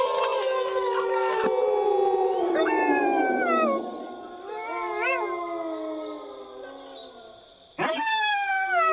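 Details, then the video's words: Wolf pack chorus: a loud opening swell of overlapping howls that glides downward, followed by wavering, quavering notes and a new howl entering near the end. "Wolves Howling"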